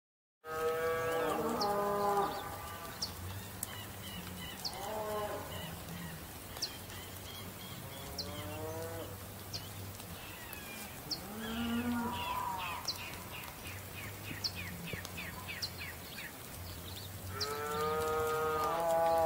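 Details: Bull (Bos taurus), bellow.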